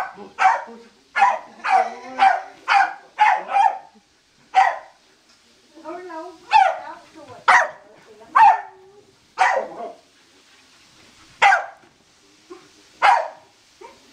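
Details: Excited Corgi barking indoors while chasing a laser during play: a fast run of sharp, broadband barks, then sparser single barks spaced a second or two apart, with a few whiny yelps in between.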